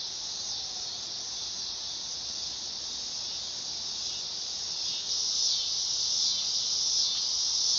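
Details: Steady high-pitched buzzing drone of a dog-day cicada on a summer night, swelling louder and harsher in the last few seconds.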